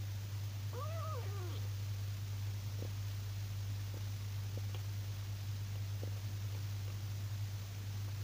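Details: Female kitten named Moomin, filmed for her adoption and adopted in September 2018, gives one short arched meow with clear harmonics near the start, followed by scattered soft clicks over a steady low electrical hum.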